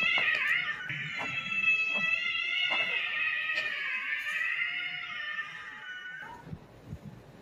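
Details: Domestic cat warning a Doberman before lashing out: one long, tense, wavering yowl, drawn out for about six seconds with rich harmonics, slowly sinking in pitch, then breaking off into a short lower note and faint scuffling.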